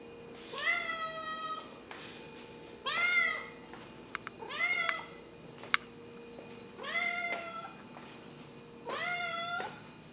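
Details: Ten-month-old semi-feral kitten with heterochromia, once abandoned on the street and now living in a home, calling indoors at meal time over freeze-dried raw pork food; five drawn-out, rising-then-falling meows about two seconds apart over a steady background hum.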